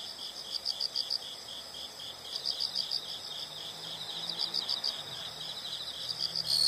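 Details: Insect calls in nature: soft, clustered chirps pulsing in quick groups over a low, rumbling background, with a louder buzz rising at the very end.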